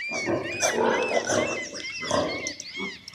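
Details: Pig grunting and snorting in rough, noisy bursts, with thin high whistled tones running above.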